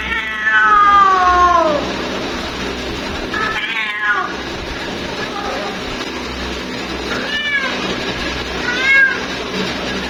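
A female cat gives drawn-out, wailing meows, calling for a mate.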